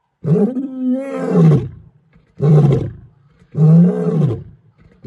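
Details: Lion (Panthera leo), roar.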